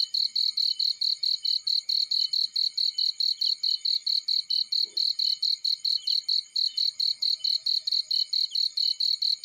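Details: Field cricket chirping: a steady train of sharp, high-pitched pulses repeated rapidly and evenly, with a brief faint low tick midway.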